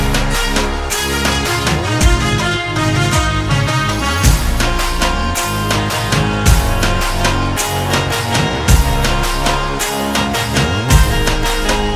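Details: Dense instrumental soundtrack music with drums plays throughout and no animal calls.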